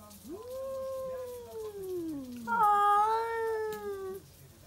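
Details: Two stray cats at midnight in a backyard, wailing at each other to defend territory: long drawn-out yowls with a rising then slowly falling tone, the second voice joining louder and steady, overlapping in a tense duet.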